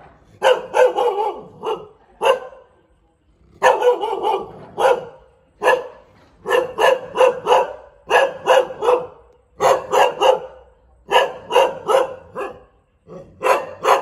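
A Thai Bangkaew dog barks in quick bursts, sharp repeated woofs grouped in runs of three or four.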